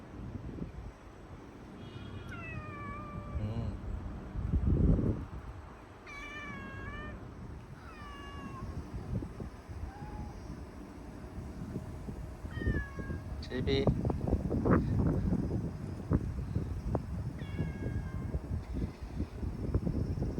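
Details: Community cats found hiding outdoors in Fukuoka, Japan, after a typhoon passed: several short falling meows spaced through the recording, over steady low rumbling background noise and scattered rustling and clicks.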